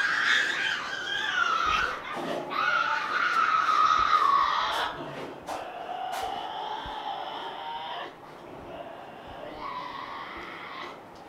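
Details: Tasmanian devils tearing at prey at night, one defending its food: harsh, raspy screams in rapid bursts, loud at first then fading to rougher, lower snarls, with sharp cracking of bones.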